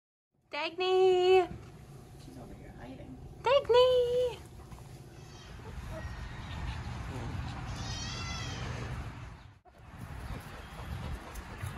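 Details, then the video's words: Kid goat being cuddled on a hobby farm gives two loud, wavering bleats about three seconds apart, the second shorter and slightly lower. A softer noisy background with faint distant calls follows. "Baby goat sounds"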